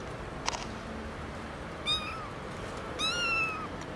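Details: Two meows from a domestic cat: a short one, then a longer, wavering harmonic call about a second later, over low background hiss with a single click before them.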